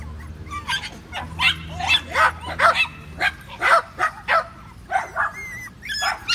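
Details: Five-week-old Patterdale Terrier puppies playing in a homemade earth tunnel of black pipe: rapid, high-pitched yips and short barks tumbling over each other, with thin rising whines near the end and a low hum underneath.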